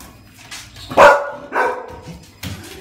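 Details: An English Springer Spaniel gives two short, sharp barks about half a second apart, with a softer one following, playfully messing with the owner.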